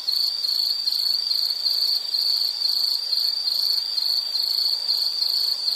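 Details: Steady high-pitched insect trill with rapid even pulses and gently rising and falling loudness, heard alone against quiet hiss in a soothing nature recording.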